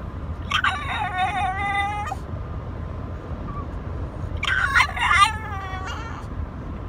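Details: A pet French Bulldog 'talks' to his owner. Two drawn-out, wobbling, moaning vocalizations, each lasting about a second and a half, separated by a quiet gap with a low background hum.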